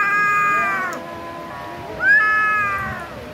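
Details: A kitten eating chicken meat gives two drawn-out, tonal meows, the first steady then falling, the second opening with a quick upward sweep before levelling off, separated by a quieter gap with faint background hum.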